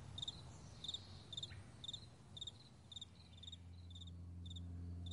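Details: Morning crickets across a wide meadow: crisp doubled chirps about twice a second, high and bright, while a low steady hum swells toward the end.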